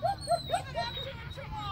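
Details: Chihuahua herding sheep: four short, high, tonal yips in quick succession, about four a second, followed by fainter yelps, over a low steady rumble.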